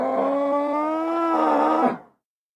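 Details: A nervous bull gives one sustained, tonal bellow of about two seconds. It holds a steady, slightly rising pitch with rich overtones, then cuts off abruptly into silence. No other sounds are heard.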